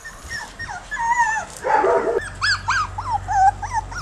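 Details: Jack Russell Terrier puppies, one month old and ten in all, play on the lawn during their first back-yard trip without mom: drawn-out whines, a short rough growling burst, then quick rising-and-falling yips over a low hum.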